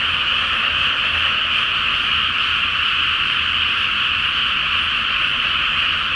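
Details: Night-time frog chorus from a flooded Japanese rice field awaiting planting, full moon reflected on the water; many frogs croak together in an unbroken, even roar of rapid trilling calls, with a soft low background hum.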